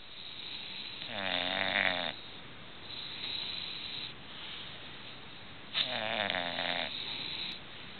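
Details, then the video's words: English bulldogs asleep and snoring away: two loud, rattling, throaty snores with a strong buzzing tone, about four and a half seconds apart, and softer wheezy breaths in between. "English Bulldogs snoring away"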